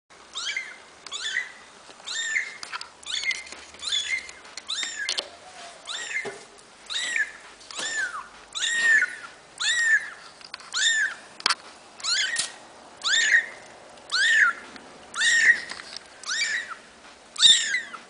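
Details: Young kittens born 8 August 2012, from Pavlovsky Posad, Russia: a steady series of high, thin mewing cries, each a short arched wail, roughly one per second and very regular, in a quiet room.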